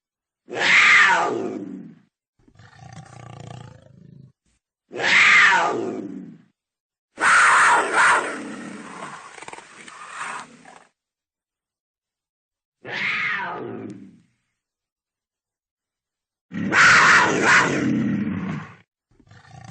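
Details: Cougar giving loud, harsh harmonic screams that start high and slide downward, four bursts roughly every four seconds, each followed by a softer, rumbling breathy sound in a quiet setting.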